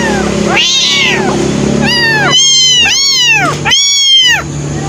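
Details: Abandoned baby kittens, two thrown away and now cared for, crying while waiting for milk: a run of five clear rising-falling meows in quick succession, high and harmonic, over a steady low hum.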